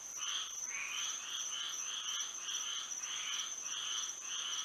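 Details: Frogs singing at night under moonlight in Florida, a dense chorus of short nasal croaks with two bright bands, overlapping in uneven pulses about once a second, over a steady high insect-like whine.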